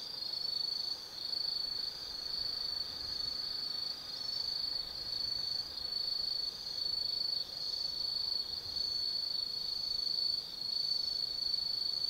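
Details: Forest insects of autumn calling after dark at Tsukimi no Mori in Nanno, Kaizu, Gifu, Japan, overlooking the lit Nobi Plain; an unbroken high-pitched ringing trill, fast regular pulses, little else audible.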